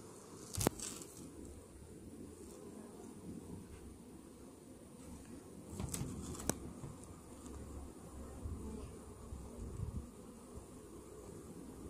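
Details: Honey bees inside a hive infested with Varroa mites, half an hour after a morning mite treatment: a dense, steady low hum of many bees, with a few brief sharp clicks and knocks.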